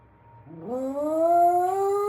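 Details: Shiba Inu dog singing along to a routine announcement song after missing the announcement, ears twitching; a howl rising from a low start into a sustained, slowly climbing tone with clear harmonics.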